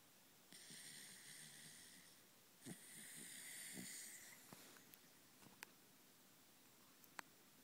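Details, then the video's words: Mr. Kirby, a 3 1/2-year-old Corgi, deep asleep and snoring like a buzz saw: hissing breaths with a rough low rattle, one long inhaled snore in the middle, and faint clicks toward the end. "The Snoring Corgi"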